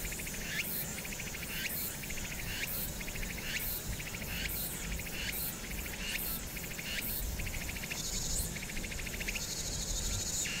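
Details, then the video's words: Cicadas singing on Hwangnyeongsan on a summer night, 1 August 2019, with city noise behind: rasping high buzzy bursts pulsing roughly twice a second over a steady low urban rumble. "황령산(Hwangnyeongsan)의 여름 매미소리"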